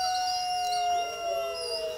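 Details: Wolf howling in a single sustained, steady tone, holding one clear pitch with rich overtones for about two seconds and dipping slightly near the end; no other sounds stand out.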